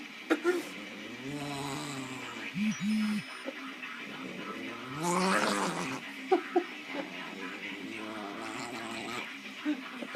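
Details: Excited dog getting hyped up and making funny noises: drawn-out groaning, warbling whines with wavering pitch and a few short grunts, plus a loud breathy huff midway.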